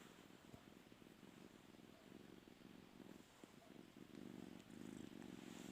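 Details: Pet cat seeking to sleep on its owner's bed gives a continuous low purr, a rapid pulsed rumble that grows louder toward the end, with faint room noise behind.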